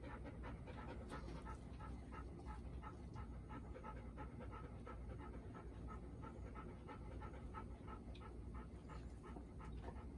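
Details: Golden Retrievers at home, including four-year-old Bis, a nervous newcomer filmed the day after meeting her mother Ibuki and Kohaku; steady rhythmic panting, fast breathy puffs repeating evenly for ten seconds with a low background hum.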